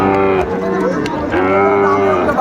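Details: Sahiwal bull calf at a cattle market in Comilla, Bangladesh, on 13 August 2024, bought by a local farmer. Two long, low, droning moos rich in harmonics follow each other, over steady market bustle and voices.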